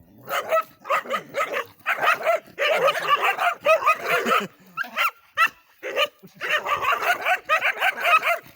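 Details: Dogs barking in fast, broad, rough bursts of several barks each, one run after another, with a brief lull around the middle before the barking picks up again.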